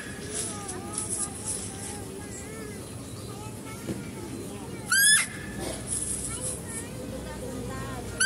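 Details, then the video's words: Zoo setting with a male deer being fed: a female deer lets out a single loud, strained squeal midway, then the start of another at the end, with people talking throughout. "mendengarkan suara rusa betina"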